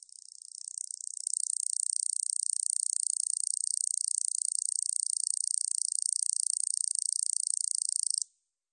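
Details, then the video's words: A katydid (여치), recorded by the National Institute of Biological Resources in 2020, builds from a few scattered clicks into a continuous, dry, high-pitched buzzing trill of very rapid pulses, then stops abruptly after about eight seconds. "여치, 여러번 듣기, 곤충소리"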